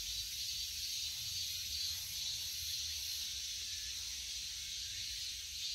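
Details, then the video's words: Cicada calling in a steady, unbroken, high hissing buzz that stays at an even level throughout, with a faint low rumble beneath. "Cicada 매미"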